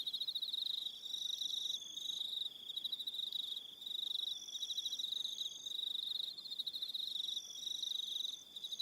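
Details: Crickets calling in the evening on Aroha Island, New Zealand: a dense, steady high-pitched trill in pulsed bursts of about a second, with several callers overlapping and a fainter, higher chirping layer above, no other sounds.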